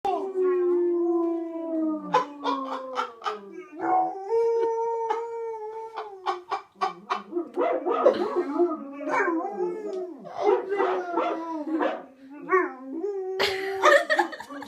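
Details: ['White German Shepherd howling while watching another dog howl on TV: long, wavering, descending howls with rich harmonics, broken by sharp clicks and bursts of other sound, including speech-like noise, from the television.']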